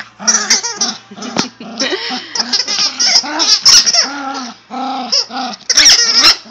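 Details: Yorkshire terrier producing a fast run of high whines and yips, many short harmonic cries crowding one after another, some rising then falling, with music playing underneath throughout.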